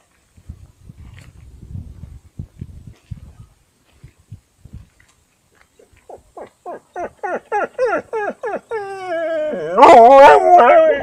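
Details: Siberian Husky trying to bark beside a yard dog, Panoterai, Jonava district, Lithuania, 15 August 2018 at 20:14. Soft low grunts, then a rapid series of rising harmonic yelps, ending in a loud drawn-out howling bark.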